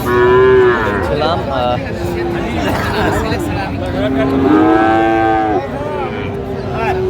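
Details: Friesian and crossbred bull calves for sale at the Raniganj market, Dinajpur, on 15 January 2025. A brief moo opens, then a longer, rising and falling bellow midway, over busy market talk and bargaining.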